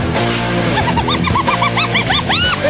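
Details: Hyenas giggle in a run of quick, arched, whooping notes over a background music bed while feeding on the entrails of a killed blue wildebeest and driving off vultures.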